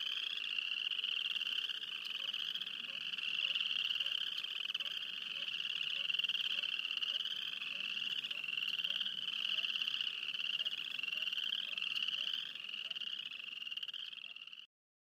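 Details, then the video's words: A dense frog chorus near Wayne, Alberta, with many high trilling voices blending into one continuous shrill wall of sound. "Field recording of frogs near Wayne, Alberta."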